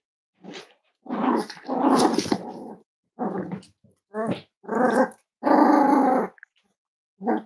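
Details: Cavalier King Charles Spaniel indoors at a breeding kennel on a chilly Thursday morning, giving a run of rough growling, yapping bursts in about seven uneven groups with short silences between, in a small room.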